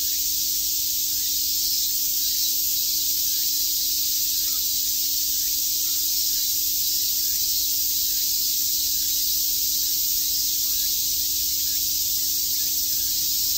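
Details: Massed cicadas on a summer day at Shakujii Park, Tokyo, keep up a constant sizzling buzz for the whole stretch, with slight swells in loudness but no gaps.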